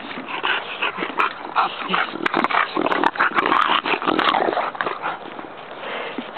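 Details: Several bulldog puppies at play on a playground give high, nasal whines and short yelps in quick uneven bursts, with low growly whimpers and clattering scuffles between them.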